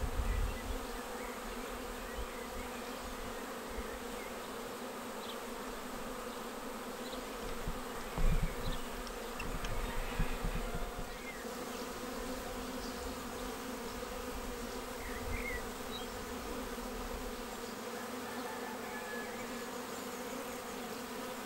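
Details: Honeybee swarm settling into a bait hive on 19 May, entering straight away. A long, unbroken droning buzz with stacked tones, soft wind rumble rising around eight to ten seconds, and faint distant bird notes.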